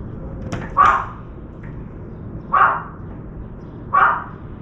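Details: Puppy barking whose interference drives a crow carrying meat off into the woods; three sharp, evenly loud barks roughly every one and a half seconds, with faint clicks before the first.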